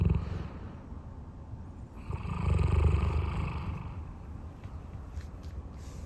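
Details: Roy, a large dog kept at home, snoring softly in his sleep: one drawn-out low rumble rising and fading over about two seconds amid faint breathing.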